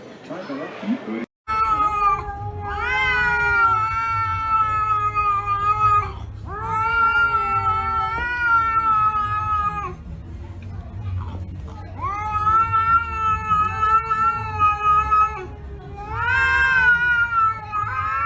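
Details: Two angry cats fighting yowl in long, wavering, harmonic-rich caterwauls; cat fight calls.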